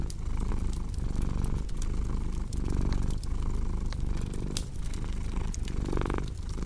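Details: Rhythmic, rumbling purr from a domestic cat, pulsing roughly once a second, with bright fireplace crackles and pops throughout.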